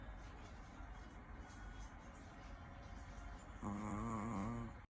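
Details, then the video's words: A sleeping Chihuahua lets out one buzzy, wavering snore of just over a second near the end, after several seconds of quiet breathing noise. "Cute dog sleep chihuahua that pet life funny chihuahua video Snore dog"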